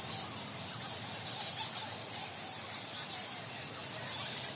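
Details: Close recording of bats inside a temple in Bali, Indonesia, March 2018, made with a field recorder while no one was around: a constant high squeaky hiss punctuated by brief brighter squeal bursts.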